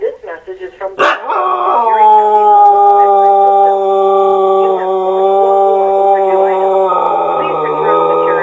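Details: Domestic dog howls at an answering machine. Brief speech-like sounds open, then a sharp onset gives way to one sustained, steady howl held for about seven seconds, stepping slightly lower near the end.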